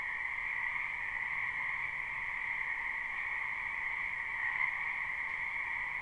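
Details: Many frogs calling in a spring wetland behind a house, recorded live at night without looping: a dense, unbroken croaking chorus forming two steady bands, one higher and one lower, with no gaps and a faint low hiss beneath.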